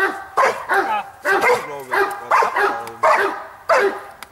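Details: Blackmoore Giant Schnauzer Bayuma lets out a quick run of six loud barks, each ringing briefly, spaced about half a second to a second apart.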